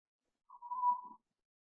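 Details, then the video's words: Night-time yowl from Cooper, a pet cat playing after bedtime as he does almost nightly: one short steady mid-pitched yowl, under a second long, in a quiet room. "Cat yowling and playing"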